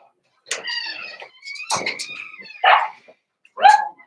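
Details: Cavalier King Charles Spaniel puppies in a home puppy pen meet several older dogs on 13 December 2022; a drawn-out, harmonic whining yelp is followed by a short, rough bark and a final sharp yip, with a voice faintly behind.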